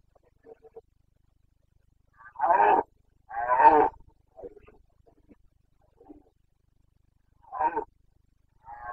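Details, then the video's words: Carpathian red deer in Bucovina, Romania, roaring in the rut, 29.09.2022: short harsh roars in an irregular series, two loud ones close together, then softer grunts and further bursts after long silences. "Boncănit / Carpathian stag Breeding season"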